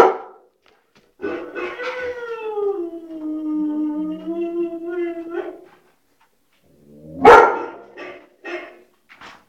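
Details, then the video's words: Brief opening noise, then a white shepherd dog lets out a wavering howl lasting about four seconds, falls silent, and ends with one loud bark and a few softer yips. "white shepherd barking - Witte Herder / Mechelse herder blaffen"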